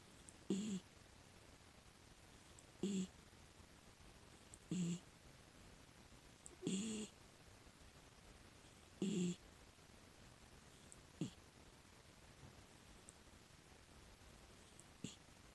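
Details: Sleeping female miniature dachshund, six years old, a rescue dog at home: five rhythmic low snores about every two seconds, then fainter breathy puffs, in a quiet room.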